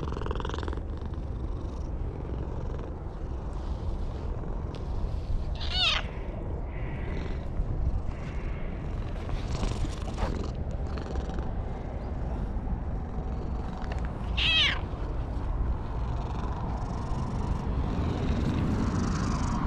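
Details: Stray cat perched on a wall cries out with joy while being stroked, caught on a GoPro HERO8: three short, rising-falling meows spaced several seconds apart over a low purring rumble and rustling handling noise.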